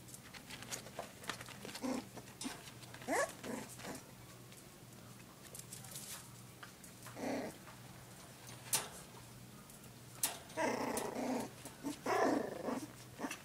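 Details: Dachshund puppies just over a month old, born on 6 June 2011, indoors; short rough growling bursts come and go, thickening into a louder, busier cluster near the end, with soft rustling and handling noise between them.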